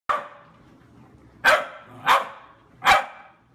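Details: Corgi from a compilation of home pet clips giving four sharp, bright barks: a single bark, a pause of over a second, then three more in quick succession about half a second apart, followed by a person urging it to come take a walk.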